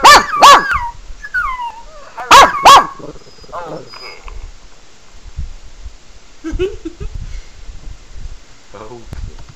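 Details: Sebastian the Pekingese reacts to animal whining videos played on a laptop with two quick pairs of sharp barks near the start. Faint whiny tones follow, then quieter shuffling and a brief voice later on.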